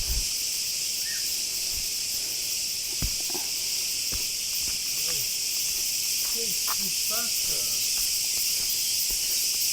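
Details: Many cicadas in the countryside of western Crete, near gorges on a hike, sing in a steady, high, hissing chorus, with a person's voice speaking briefly over it.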